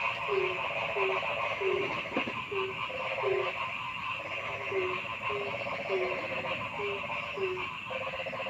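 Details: Forest frogs: a low croak repeated roughly every half to two-thirds of a second, with short gaps, over a thick, continuous chorus of higher buzzy trills; a brief click near the middle.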